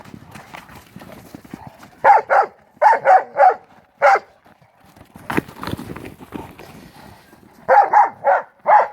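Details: Pit bull mastiff brothers playing ball in the snow during the 2016 Maryland blizzard; short punchy barks come in clusters of two to four, with quieter scuffling and thuds between the bursts.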